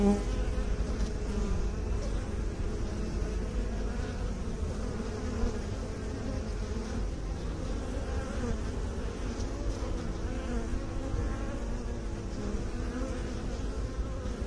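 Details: Bees, apparently kept by beekeepers, produce a steady, dense buzzing hum lasting the full fourteen seconds, with low droning bands and a faint higher whine, no pauses and a constant level throughout.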